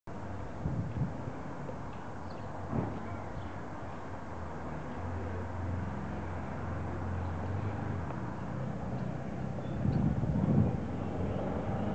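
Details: Steady low traffic rumble and street noise with some wind; no bird song stands out.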